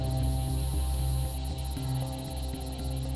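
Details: Deep throbbing electronic music with a low hum and pulsing high tones, with no animal sounds.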